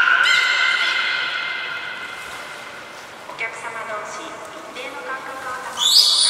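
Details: Captive belugas (Taanya, Nana, Mirai, Niko) during a training session at Port of Nagoya Public Aquarium, 11 July 2020: a loud, bright harmonic call that slides slowly downward and fades. Softer broken tones follow, then a sharp high burst at the end.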